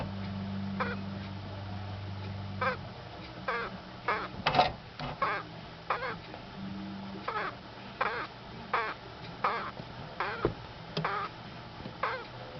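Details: Female pet Madagascar day gecko calling when a camera lens is held in front of her, possibly to scare it off or reacting to her reflection: a run of short, squeaky, harmonic chirps spaced about half a second to a second apart, with a low hum early on.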